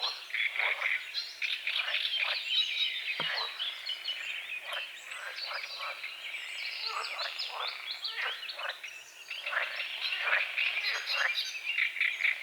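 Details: Dawn chorus of frogs at a small forest-edge lake among calamus and water lilies: bursts of harsh, rattling croaks come fast and irregular, fading midway and swelling again, with birdsong mixed through.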